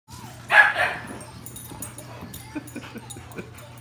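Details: A puppy in a house gives a short, high yipping bark as two quick bursts in the first second. A steady low hum, soft knocks and shuffling follow in a quiet room.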